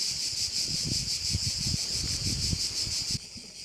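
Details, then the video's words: A chorus of crickets at a Korčula bay in Croatia: a steady, piercing, pulsing trill over low wind buffeting. The sound drops away abruptly near the end. "view of one of the bays in Korcula with sounds of crickets"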